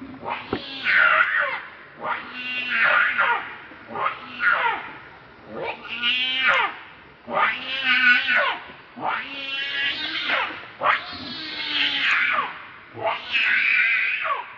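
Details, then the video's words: Angry monkey calling while protecting another monkey from a third: loud harsh screeching cries with wavering, strained tones, repeated roughly every two seconds throughout. "Rainbow Very Angry To Protect Lucie From Kachoy"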